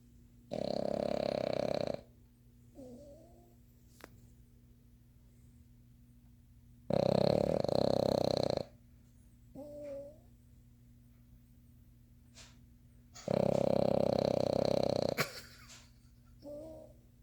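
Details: A Boston Terrier (Canis lupus familiaris) snores loudly while sleeping in its owner's arms, with long rasping breaths roughly every six seconds.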